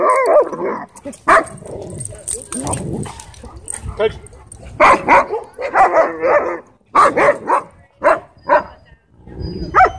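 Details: Dogs at a dog park, a wolf dog bullying a husky shepherd with pink eyebrows; short harsh barks and growly bursts come in clusters with pauses between them, mixed with people talking.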